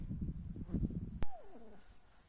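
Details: Kittens with their mother cat; after a sharp click, one drawn-out meow-like tone slides steadily downward and fades within about half a second, preceded by low rumbling handling noise.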